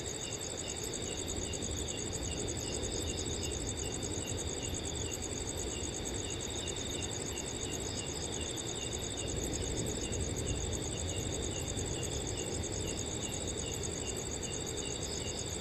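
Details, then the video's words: On a cool summer night in a peaceful forest, crickets trill steadily in bright, fast, evenly pulsed high notes, accompanied throughout by the low, soft rush of a breeze through the trees. "Crickets & Wind Sounds on a Cool Summer Night"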